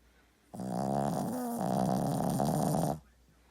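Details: A dog snores loudly in a quiet room: one long, buzzy, vibrating breath of about two and a half seconds that wavers slightly midway, framed by silence.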